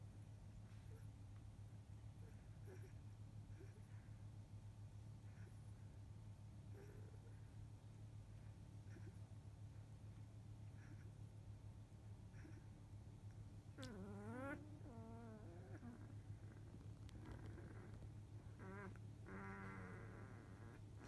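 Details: Eight field-type Labrador Retriever puppies, 14 days old, born to the grand champion biscuit, sleeping after nursing; a long quiet stretch of low hum, then wavering whimpers that rise and fall in pitch, in two short bouts near the end.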